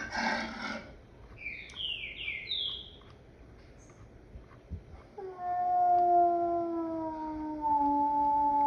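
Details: Wolf howl: after about five seconds of quiet with a few brief high chirps, a long, steady, slightly falling tonal howl with rich overtones begins and holds to the end.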